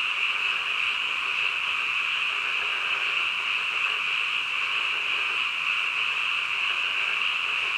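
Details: Night-time frog chorus that hums steadily: a high-pitched, buzzy trill from many frogs at once. It stays level and continuous, with no distinct single calls or other noises.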